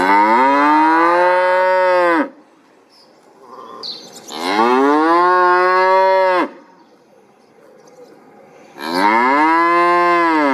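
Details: Cattle lowing in a series: three loud, drawn-out moos of about two seconds each, separated by short pauses, each arching slightly in pitch, with a brief click between calls.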